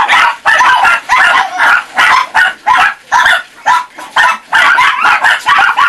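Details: Chihuahua puppies about four and a half months old, some nearly five months, at a kennel in Saint Petersburg, Russia, bark in quick high yapping bursts, around two per second, with brief pauses.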